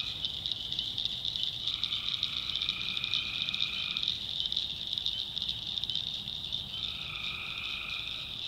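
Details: Tree frogs calling at night in a swamp in the backwoods of North Carolina: two long, steady, trilling tones, each lasting about two seconds, set against a dense, unbroken high-pitched chorus.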